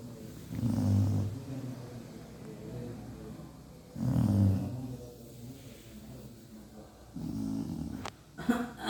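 A Cocker Spaniel snores in low, rumbling breaths roughly every three seconds.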